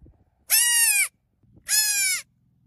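A young goat gives two loud, bright bleats, each lasting about half a second.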